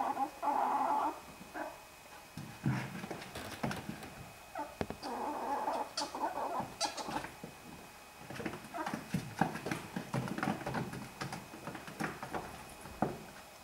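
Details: Ferrets in a big scuffle: drawn-out squealing bursts near the start and again around five to six seconds, with a busy run of short clucking, scratching and tussling noises in between.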